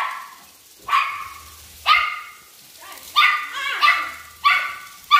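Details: Chihuahua barking while attacking a flying toy bird: five sharp, mid-pitched barks spaced about a second apart, each rising abruptly and fading, with a faint low hum between them.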